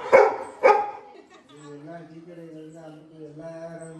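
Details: Labrador retriever dog at a village house, reacting with surprise to the arrival of an old friend: two sharp, loud barks half a second apart, then a person speaking over a quiet background.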